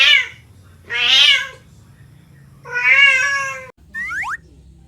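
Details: Cat giving three loud, drawn-out meows separated by short pauses, each wavering in pitch, followed by a brief cut to a quick sliding, whistly sound effect.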